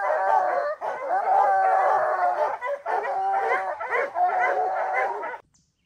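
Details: Hound named Rocky on his first opening day of black bear training season, July 2024; a chorus of several dogs bays and howls in long overlapping drawn-out notes, cutting off abruptly near the end.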